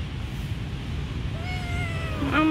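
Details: Abandoned kitten found at a pagoda gives a single rising then falling meow with clear harmonics in the second half, after a stretch of low background rumble and faint voices.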